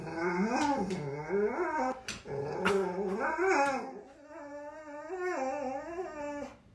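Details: Ru, a pet dog seemingly terrified of Spooky the cat, unable to fetch his ball lying in front of her; drawn-out whining whimpers with rising and falling pitch, some growly edges, repeated in long waves, owner's voice urging nearby.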